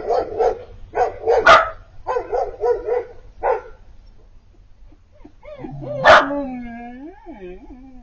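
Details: Piper, a female Siberian Husky puppy about four months old, crying for Bandit, an older neighbour dog she sees across the street. Choppy warbling whine bursts come first, then one sharp bark and a long, sliding, howl-like wail.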